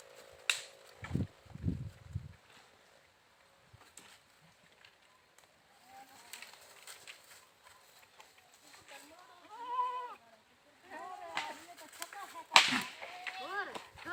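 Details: Goats bleating in short wavering bursts after low thumps and handling noise, with a sharp crackle near the end and quiet gaps between calls.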